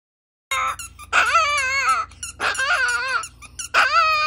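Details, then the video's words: Chihuahua howl, indoors: three long, high, wavering cries, each rising sharply then holding and quavering, with a faint low background hum. "The BEST howling songs"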